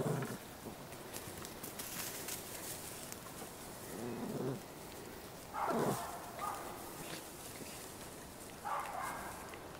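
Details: Young Cairn Terrier pups from a kennel in Escaudes, France, let out a few brief squealing yelps, one loud burst followed by two more spaced a few seconds apart, against steady background rustle.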